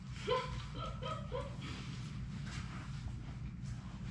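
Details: Labrador Retriever puppies, six of Sadie's litter, at play in their puppy play room: a short run of high whining whimpers and yips early on, then quieter shuffling and low room rumble.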